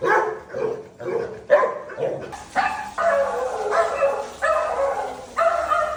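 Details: Labrador Retriever named Dhoni barking in a quick, uneven series of loud, harmonic-rich barks, about seven bursts over six seconds, each rough and mid-pitched with short gaps between them.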